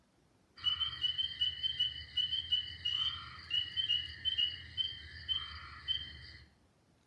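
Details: Spring peepers, tiny frogs about an inch long, give clear, high-pitched peeps in a steady, rapid chorus in Alabama at the start of frog and toad season.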